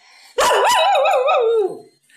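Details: A Cocker Spaniel howls along while its owner plays the harmonica, giving a wavering, tuneful howl that wobbles up and down before sliding lower.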